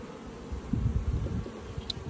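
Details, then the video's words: Freshly caught honey bee swarm droning as a beekeeper inspects frames for brood and the queen; steady low hum with bumpy handling noises and a brief tick of sound near the end. "Caught a bee swarm"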